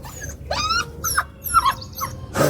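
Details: Labrador puppy whimpering in a quick string of about five short, high, pleading yelps, each bending upward then dropping, spaced roughly half a second apart, ending in a burst of rustling noise.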